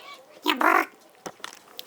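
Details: A male Bengal cat getting a massage gives a single loud, nasal meow that rises and falls, with a person talking nearby.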